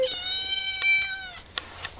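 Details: Hungry pet cat indoors waiting for food gives a long, flat, drawn-out meow lasting over a second, followed by soft clicks and rustling of someone moving things.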